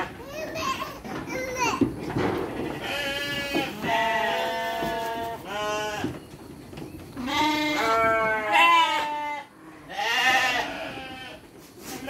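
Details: Farm sheep receiving dry feed with children, bleating in quavering, drawn-out calls through the second half, while voices and human speech fill the opening seconds.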